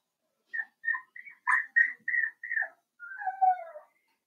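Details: Young blenheim Cavalier King Charles Spaniel puppies at play with their mother indoors. A rapid run of short, high squeaks ends in a long, drawn-out whine that slides slowly downward.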